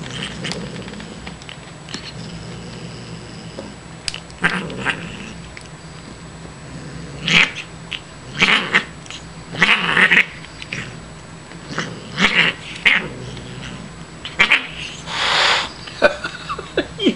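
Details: Female Siamese cat Shiloh, once a kitten found at a grocery store loading dock, yowls during playtime indoors; a long run of loud drawn-out caterwauling meows, some grouped in quick pairs, with a steady low hum behind.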